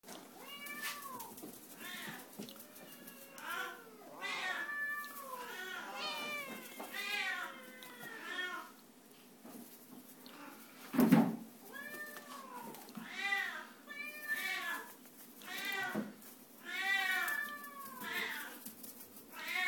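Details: A red Oriental kitten from a cattery meowing repeatedly, a series of short, arched, harmonic-rich mews with rising-then-falling pitch, often in quick pairs, with one sharp knock midway and a faint room hum.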